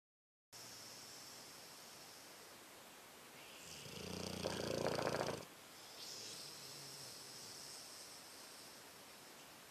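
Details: Louie, a rescued Dogue de Bordeaux, snores while asleep: a quiet breathy stretch, then one louder rasping, rumbling snore of about two seconds, followed by softer hissing breath.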